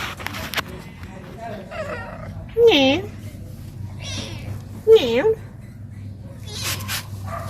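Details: Domestic cats being played with by a woman at home; two loud, short, bending meows about two seconds apart stand out over soft talking and quiet room noise.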